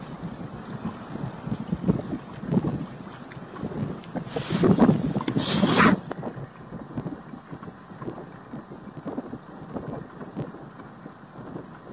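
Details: Wind buffeting and a low rumble like a boat on water, with a louder gusting burst midway and no animal calls.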